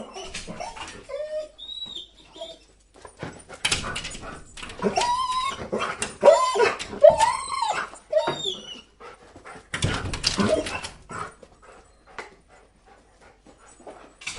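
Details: Dog whining and jumping against glass indoors: repeated drawn-out, wavering whimpers rising and falling in pitch, mixed with scraping, thudding bursts of paws on the pane and quieter gaps.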